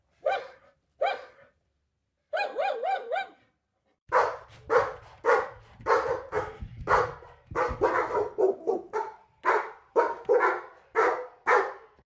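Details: Excited dog barking: two brief bursts of quick yaps, then a long, steady stream of sharp barks roughly twice a second, with a low rumble underneath partway through.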